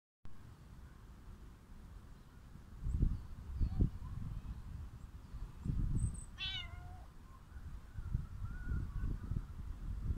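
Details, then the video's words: Calico cat meowing over steady low rumbling background noise: a short, clear, falling meow in the middle, with faint soft mews before it and a thin drawn-out cry near the end. "Beautiful calico cat is meowing"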